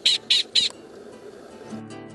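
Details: Gunnison's prairie dog alarm call, studied in Flagstaff, Arizona: three sharp, high, bird-like chirps, each about a tenth of a second, repeated in quick succession, then a faint low background hum.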